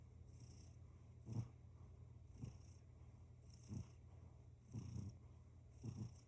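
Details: Domestic cat purring, a low continuous rumble that swells in rhythmic pulses roughly once a second with each breath.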